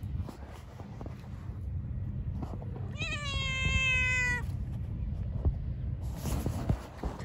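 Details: Stray cat in a park meows once, a drawn-out wavering cry with rich harmonics lasting about a second and a half, over low traffic rumble and a brief Turkish voice.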